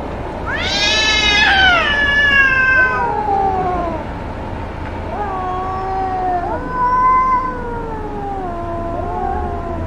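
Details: Cats fighting loudly: a high, rising screech with rich harmonics opens, bending down into moaning wails, followed by several wavering, drawn-out yowls trading back and forth, with a steady low hum beneath.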